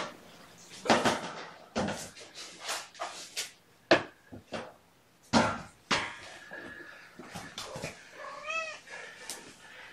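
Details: Mother cat Gamora, with her five kittens born April 14, calling indoors on a morning in June 2018; one short arched meow near the end follows a run of clattering knocks and soft bumps in a small room.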